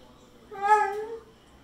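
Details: Pit Bull named Zeusy asking for more chicken with a smooth, moaning howl held for nearly a second, fairly level in pitch before tapering off.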